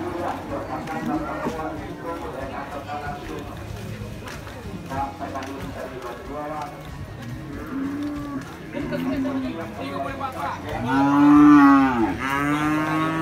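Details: Several low grunting moos from cattle at the Muaro Paneh livestock market in West Sumatra, then one loud, drawn-out bellow that rises and falls near the end. Crowd chatter fills the background.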